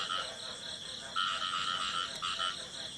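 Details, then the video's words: Male frog song in the field, a continuous high trilling call with two bright bands, steady and slightly pulsed, with other frogs calling faintly in the background. "The song of a male frog in the field"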